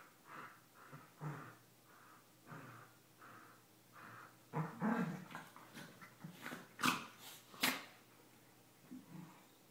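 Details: Two corgis playing, mouthing at each other's necks, grumble and growl in short, throaty bursts every second or so, growing louder and breaking into a couple of sharp, high yelps near the end.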